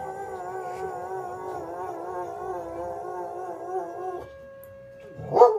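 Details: Soft Coated Wheaten Terrier howling at the fire whistle, as it always does: a long, steady, slightly wavering mid-pitched howl held for about four seconds. A flat siren tone follows, then a brief rising yelp at the end.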